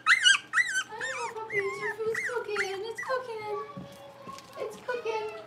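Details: Blenheim Cavalier King Charles Spaniel puppies, a litter of five born at New Year's, playing in an indoor puppy pen; high squeaky whines and yips that rise and bend, overlapping, with a low voice talking underneath.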